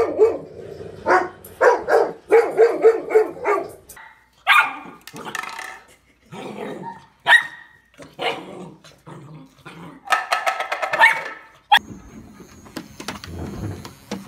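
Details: Golden retrievers at play give a run of short, sharp barks in quick bursts, some clustered closely and others spaced by brief pauses, with a few higher yelping notes toward the end.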